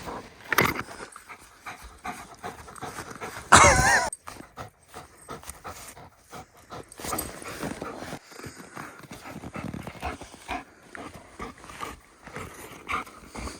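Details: Quick, ragged panting from Raya, a 1.5-year-old female German Shepherd, while she plays fetch with a stick outdoors; a sharp loud burst near four seconds, with a person calling her over.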